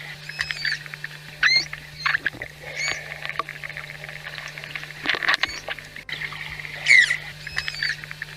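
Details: Manatee chirps, used by these social animals to communicate with each other: short, high, squeaky tonal calls with bright harmonics, some sliding up or down, over a steady low hum.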